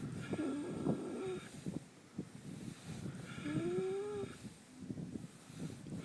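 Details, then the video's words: Minxy, a sleeping horse with twitching lips, snoring: breathy rumbling bursts with two drawn-out whistling nasal tones, one near the start and a longer rising one midway, over steady low breath noise. "Snoring horse"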